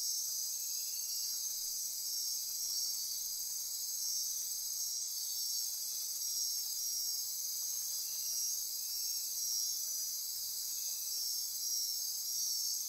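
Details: Costa Rican rainforest after dark near Corcovado National Park, Osa Peninsula: many insects buzz and trill in a steady high-pitched wall of sound, with a single faint click midway.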